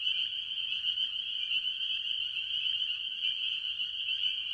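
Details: Early in the year at a farm pond, a dense chorus of tree frogs, mostly spring peepers, gives high piping peeps that merge into one continuous shrill ring.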